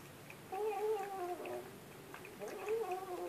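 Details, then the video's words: Indoor cat uttering two wavering, tonal meows about two seconds apart, each bending slightly in pitch, with soft clicks around them. "Cat talks like Humans"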